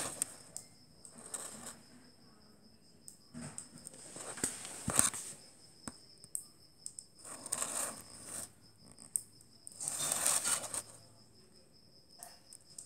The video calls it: Clicking Click Beetle